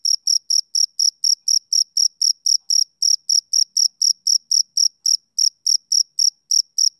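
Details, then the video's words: Male cricket chirping on a summer evening: clean, high-pitched pulsed chirps repeated about four times a second in a steady rhythm, with a brief pause near the fifth second and no other sounds. "Cricket Chirping Sound Effect"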